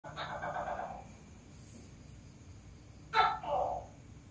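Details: A Tokay gecko, said to be laying eggs, gives a loud, harsh croak, then a sharp two-part 'to-kay' bark.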